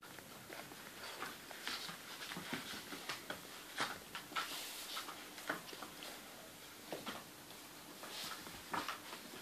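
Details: Puppies giving a busy stream of short, high squeaks and yelps, overlapping and coming roughly twice a second, mixed with soft tapping and rustling.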